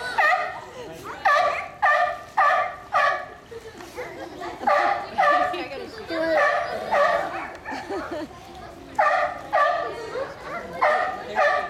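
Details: Mother sea lion barking repeatedly in loud, harsh bursts with stacked harmonics, grouped in runs of three or four barks separated by short pauses.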